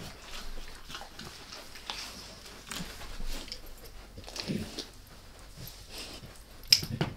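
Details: Dog eating a beef rib, at first lightly and then all in, indoors with no talking: irregular crunching, gnawing and wet licking clicks in quick uneven bursts, with a sharper, louder crunch right at the end.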